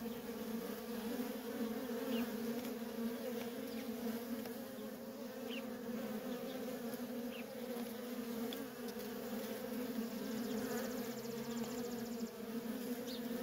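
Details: Continuous droning of many honey bee workers coming and going at a feral colony. The hum is thick and unbroken, with occasional short higher whines of single bees passing close.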